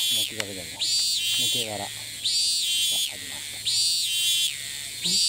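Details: Cicada in Thailand, filmed from a distance, that flies off repeatedly and resumes calling the moment it lands: loud, shrill buzzing phrases about a second long, swelling and fading at each end, repeating with brief gaps; a man talks softly beneath.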